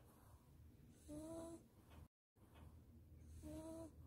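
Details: A Maltese dog snores softly, each breath ending in a thin whistling wheeze, asleep in its owner's arms after a warm bath and blow-dry.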